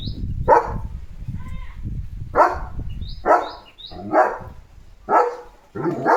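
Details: Leo, a German Shepherd, presses and plays with a coronavirus-shaped squeaky ball. Deep, abrupt barks come at uneven intervals, with short high-pitched toy squeaks in between.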